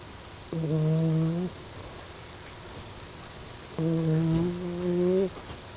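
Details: Poppy, a Staffordshire Bull Terrier puppy asleep, gives steady humming, slightly nasal snores, each about a second long, with about three seconds of near-silence between them; the second snore has a brief double pulse.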